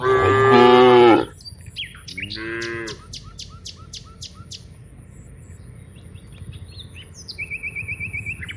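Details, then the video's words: A herd of dozens of cows heads from the rice fields back to the village. A loud, full moo opens, then a shorter, softer second moo. Small birds chirp in rapid bursts, with a thin whistled note near the end. "Dozens of cows are walking from the rice fields to the village, Moo's funny cow sounds, Cows Sounds"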